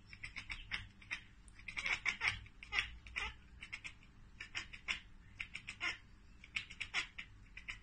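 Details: Ekekeke chattering from a cat watching a bird or insect out of reach: a steady stream of short, staccato clicking chirps, several per second, in bunches of two or three.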